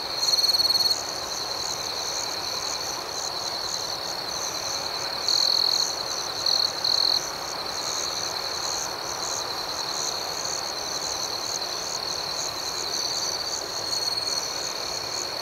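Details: Night chorus of crickets: a sustained high, thin trill with rapid, uneven pulsing overhead. Louder chirping bursts come at the opening and again around five to seven seconds, then the steady hum continues.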